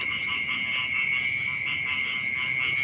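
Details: Frogs calling in the morning beside rice fields in a rural village. A dense chorus of rapid, evenly pulsed croaks overlaps throughout, over a steady high-pitched whine and low background rumble.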